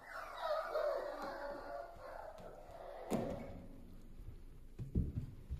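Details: Healthy newborn Toy Poodle puppies give a burst of high, wavering whimpers at the start, then fade to quiet with a few low thumps and handling noises.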